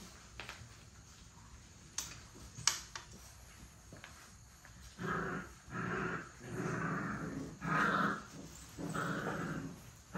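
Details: Puppies playing and play-fighting indoors. A few sharp knocks come first, then about five rough, mid-pitched growling bursts that swell and fade in the second half, each lasting under a second.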